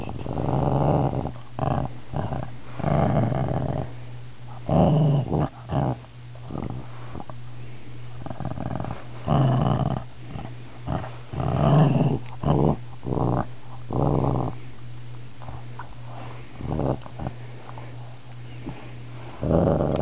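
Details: Shih Tzu disturbed during a nap growls almost continuously, a gravelly rumble broken into many choppy pulses over twenty seconds, likened to a lion's sound, with a steady low hum indoors.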